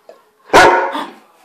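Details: A Weimaraner indoors, frightened by a ceiling light, lets out one sudden, loud, rough, full-bodied alarm bark that fades quickly, with only a faint click before it.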